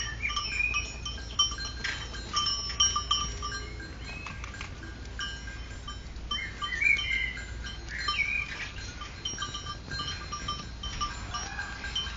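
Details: Little bell-wearing goats kept in Geervliet give short wavering bleats that rise and fall, heard a few times amid the steady tinkling and clanking of several small bells.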